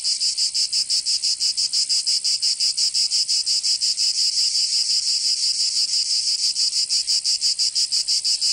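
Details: Provençal cicadas in summer, southern France, producing a loud, harsh rasping buzz in fast, very even pulses, about six per second, sustained without pause.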